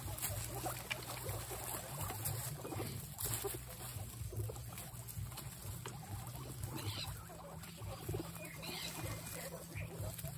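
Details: Guinea pig; squeaks; expressing excitement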